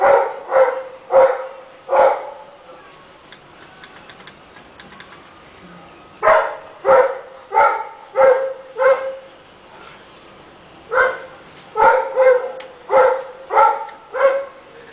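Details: Neighborhood Rottweiler barking all day long: runs of four to six deep, evenly spaced barks, separated by several seconds of near quiet with faint background sounds.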